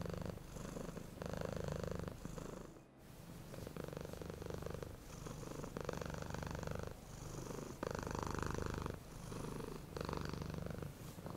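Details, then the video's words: Smooth purring from a happy, relaxed cat, a low rhythmic rumble pulsing with each breath in and out, about one phase per second, briefly interrupted by a short pause early on. "Relaxing cat, happy CAT Purring Smoothly"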